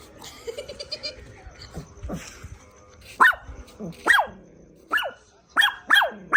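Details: A dog barks in sharp, short bursts, about one every second in the second half, with softer murmurs and low rustling earlier.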